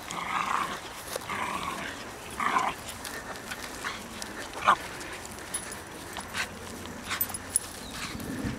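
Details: Two Japanese Shiba Inus playing with new toys at Kenwood House on 23 October 2011: three short, tonal, whiny bursts in the first three seconds, then scattered faint clicks and rustles against a quiet outdoor background.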